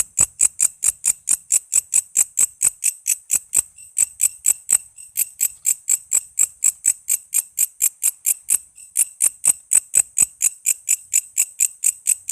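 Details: Steady, rasping, high-pitched pulses of a walang kece katydid, recorded as a master song for cage songbirds like murai, lovebird, cucak ijo and kacer, repeating about twice each second with one brief hesitation.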